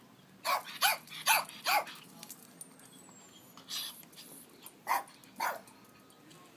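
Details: Guarding the house in Palm Springs, a Chihuahua rat terrier barks in a quick run of four sharp yaps, then pauses and adds a few more separated barks, while a person urges it on.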